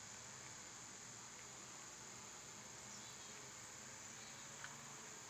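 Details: Cicadas in summer, when they are loud, make a steady, high, unbroken hiss that holds one pitch for the whole stretch. There are no pauses, only a faint low rumble underneath.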